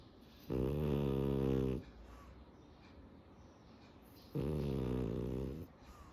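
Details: Sleeping French Bulldog snoring indoors; two long, buzzy, rasping snores, each about a second and a half, separated by quiet breathing pauses.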